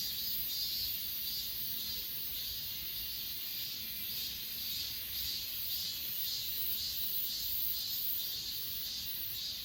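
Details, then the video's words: Chorus of grass insects on Achasan, filmed with an S20 Ultra: a continuous high buzzing trill that throbs roughly twice per second, layered over a thin, steady very high whine. "아차산 풀벌레소리"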